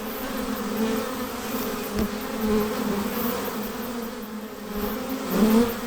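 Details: Honey bees buzzing near their hive: a steady dense droning hum with a low fundamental and overtones, swelling and fading gently as individual bees pass close.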